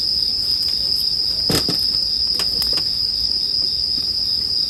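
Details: Bell crickets chirring as sleep-time ambience, a steady high ringing tone held without pause, while a crackling campfire pops sharply around the middle seconds.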